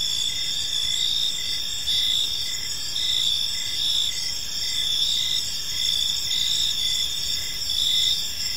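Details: Evening chorus of crickets in a quiet park: constant shrill high trilling with a beat of short repeated chirps, loudness rising and falling gently, nothing else audible.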